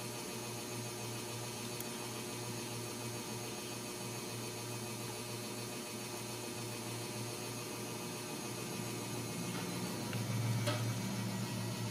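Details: Steady electrical hum and faint hiss in a quiet indoor room, with a couple of soft clicks and no animal sound.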